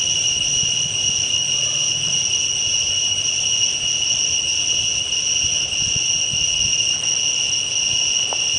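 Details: Loud cicada chorus heard at dawn or dusk, a continuous shrill buzzing drone of two bright tonal bands at constant level without breaks, faint low rumble underneath.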